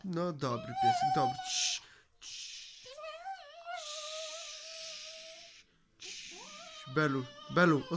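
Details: Pet Cocker Spaniel singing along with its owner: thin, whining howls, first a brief wavering note, then a long, steady, slightly wavering tone, framed by a person talking before and after.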